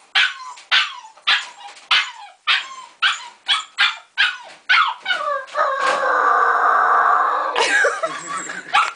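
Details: A Siberian Husky puppy, unhappy in his cage, gives a run of high, sharp yips, then a drawn-out, quavering howl, his first howl.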